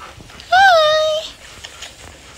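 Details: Belgian Malinois puppies, 10 weeks and 1 day old, recorded 04/02/2021: a single clear, drawn-out whine lasting under a second, briefly rising, then holding level and sagging slightly, against quiet indoor room noise.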